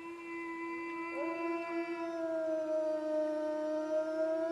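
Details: Howling wolves heard farther off against a constant hum: a long level tone with a second voice swooping up and holding steady, over faint background hiss.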